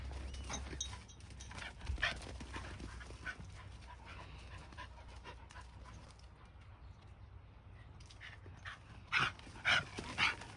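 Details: Mixed-breed dog and Shiba Inu in play-fighting, mostly scuffling and panting, then three sharp rising yips in quick succession near the end.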